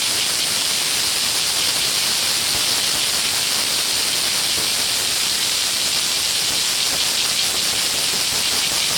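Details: Steady wall of cicada song at Hōei-chō in Kōchi city, Japan, near the Warakō Museum: a shrill, continuous hiss with no pauses or rhythm, even in volume from start to end.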